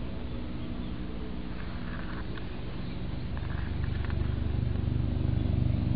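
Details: White cat resting comfortably on a person's knee, purring: a steady, low, rumbling drone with a regular pulse that swells louder over the second half, plus faint soft rustling.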